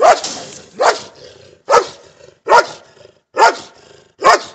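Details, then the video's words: A German Shepherd and a Belgian Shepherd bark together, giving loud, harsh single barks spaced roughly every three-quarters of a second, six in a row, each cut off sharply with short quiet gaps between. "German Shepherd and Belgian Shepherd barking together"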